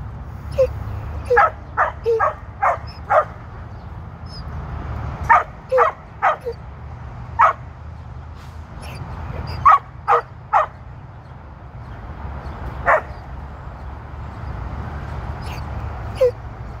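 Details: Border Collie bitch working sheep on her second herding run, 1 June 2023, eager to hunt: irregular bursts of short shrill yelps with pauses between, set against continuous low background noise.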